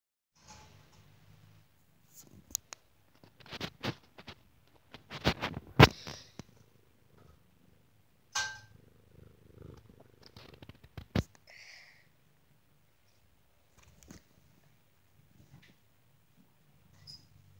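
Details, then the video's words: Domestic cat purring, a low rumbling hum that runs through most of the recording, broken by sharp clicks and knocks of handling or movement. "Purring Kitty Cat"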